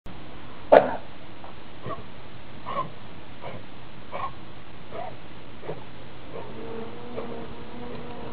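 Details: A large brown and white Pit Bull running toward the camera around a yard, wagging its tail, gives a single sharp bark followed by loud, heavy, rhythmic breathing.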